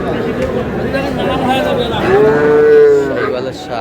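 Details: Sahiwal bull on a Comilla farm in Bangladesh, 25 April 2026; a single sustained, steady-pitched moo of about one second rises out of murmuring voices near the end.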